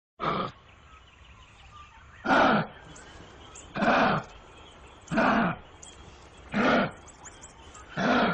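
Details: Kangaroo giving harsh, breathy rasping bursts, each about a third of a second long, repeated roughly every one and a half seconds in a series of six over a quiet background.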